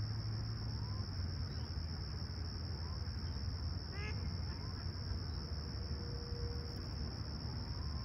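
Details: Crickets at sunrise on a calm, clear summer morning, Humber Bay Shores, Toronto, 28 July 2020, 20ºC: an unbroken high, steady trill over a deep low rumble, with a short burst of bird chirps near the middle and faint thin whistles.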